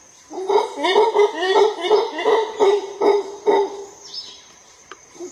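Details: Rugged, rhythmic roaring from a howler monkey in the Monte Verde forest. Roughly eight throaty pulses arrive about every half second, each rasping and slightly rising, then fade out. Steady high-pitched insect drone lingers in the background.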